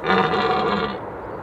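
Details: In early October, during the rut, a red deer stag gives a deep, rough, drawn-out roar, letting everyone know he is the boss in the area.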